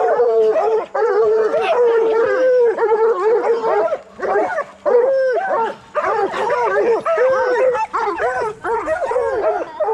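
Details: Bluetick and black and tan coonhounds trained for raccoon hunting give a dense chorus of rising-and-falling bawls and choppy yelps, one longer held note early on, the pack voicing continuously with brief breaks.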